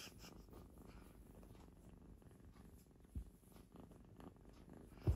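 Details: Purring from one of three cats playing with a person: a deep, steady rumble of quick even pulses, almost all low-pitched, broken by a couple of short thumps or rustles.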